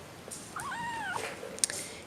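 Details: Petite 5-week-old Seal Point Himalayan kitten, Madeline Rose, hungry and being weaned onto softened food, gives one arched, harmonic-rich meow rising then falling over about half a second, with faint handling noises in a small room.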